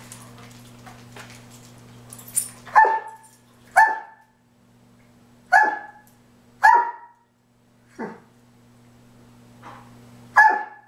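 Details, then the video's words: Dobermans squabbling indoors over cooling pads on a hot day, one taking the pad the other lies on; six sharp barks come at roughly one-second intervals, each a loud clipped burst with a steady low hum underneath. "Dobermans Don't Share!"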